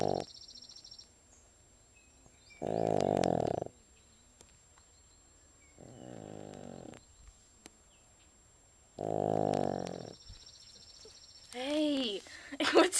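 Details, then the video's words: Elsey, a pet pug, snoring while asleep: loud raspy rumbling snores in bursts of about a second, separated by pauses of two to five seconds, with a woman's voice near the end. "Snoring PUG named Elsey"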